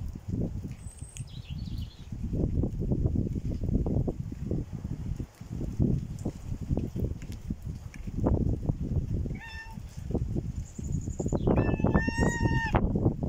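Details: Hungry stray cat on a visit, giving a few short harmonic meows near the end, one around nine seconds and a clearer rising pair after eleven seconds, over steady low rumbling and handling noise outdoors.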